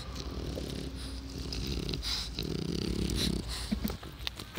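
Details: Taro, an old French Bulldog aged 12, recorded on 1 July 2016, gives low, rough snorting and grunting breaths with a gravelly rumble, uneven in rhythm, over a steady low background hum.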